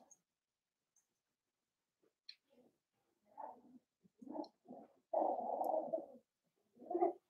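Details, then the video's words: Four-week-old Cavalier King Charles Spaniel puppies of Daisy's litter in their pen, heard on a livestream; soft low whimpers and short whines build to a longer wavering cry near the end, with quiet gaps between. "Cavalier Puppy Cam: Daisy's 4-week-old puppies!"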